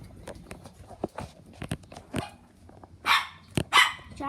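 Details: A sick pet dog lets out two loud, sharp barks near the end, following a man speaking and scattered clicks and knocks indoors.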